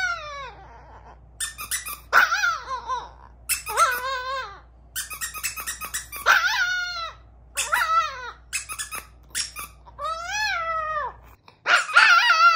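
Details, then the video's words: Chihuahua howling in repeated wavering, arched notes, several bursts over about twelve seconds with short gaps, squeaky yips mixed in, and a faint low hum underneath. "The BEST howling songs"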